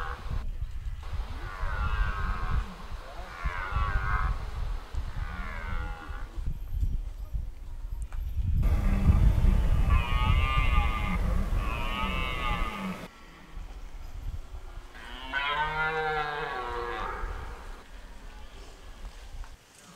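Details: Repeated roaring of red deer in the autumn rut, De Hoge Veluwe park, Netherlands. A series of guttural, groaning bellows, some short and some prolonged, over steady low-frequency background noise.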